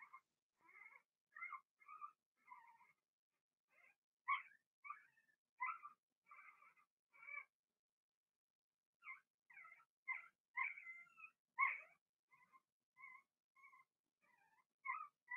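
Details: Blenheim Cavalier King Charles Spaniel puppies from a first litter of six, in an indoor puppy pen during potty training; short high squeaks and chirps come in quick irregular bursts, several overlapping, with brief silences between.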